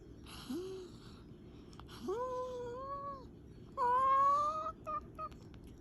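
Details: Comet the cat talking in his sleep: a brief rising squeak, then two longer wavering, tonal mews, followed by a few short chirping murmurs, heard in a quiet indoor room.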